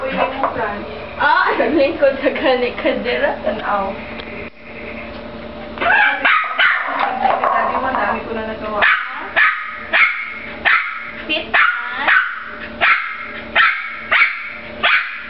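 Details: Jack Russell Terrier playing with a frisbee: a stretch of speech-like voices and music gives way to sharp, harmonic barks repeated roughly every half second to second over the final six seconds, with music continuing underneath.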